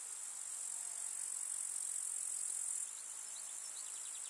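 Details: Continuous high, metallic trilling of meadow grasshoppers in summer, steady at first then dropping to a softer level midway, with a few faint brief chirps toward the end.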